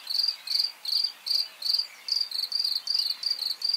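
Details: A few nearby crickets chirp in quick trilled pulses, roughly two or three per second, each a bright, high, buzzy note, with faint hiss and distant birds, on a farm in eastern Pennsylvania after dinner, early May 2023.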